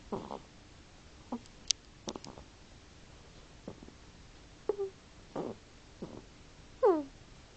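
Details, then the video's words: Sleeping hedgehog snoring indoors: scattered soft clicks and wheezy bursts, then a brief squeaky harmonic whistle and a falling, wavering squeal near the end. "Hedgehog snoring"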